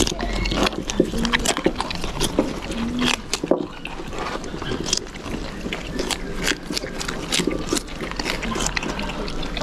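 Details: Capybara sisters Kikyo and Nadeshiko, born September 2019 at Nagasaki Bio Park, lively at their dinner around four o'clock, chewing food. Dense, crisp, irregular crunching clicks follow one another rapidly, with brief human voices in the background.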